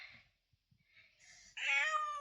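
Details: Street cat, after faint murmuring, gives a sudden loud meow, rich in harmonics and held steady before trailing off.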